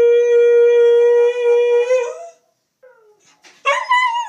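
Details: Pet dog that misses its absent owner, howling along with her over a webcam call, recorded on an iPhone 4s: a long steady pure-toned howl wavering at the end, a pause, then another howl breaking upward.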